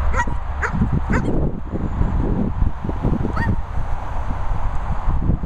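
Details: Two German Shepherds, Sophy and Toby, at kennels set in Worcestershire countryside; three quick barks open the recording, then a single bark follows after a pause, all partly buried in loud, steady low-pitched rumbling.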